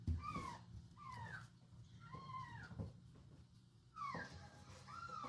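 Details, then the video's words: Domestic cats reacting to a strange meow coming from a box: a string of short, arching meows, some rising then falling, spaced about a second apart, over a low indoor hum. "Funny Cats Reaction To Strange Meow Sound From The Box"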